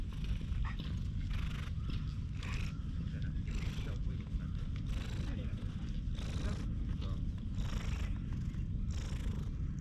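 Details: Stray cat rubbing against a person's legs outdoors, filmed on a GoPro HERO8. It purrs as a low continuous rumble with rhythmic broad breathy pulses about once a second, over steady low background noise.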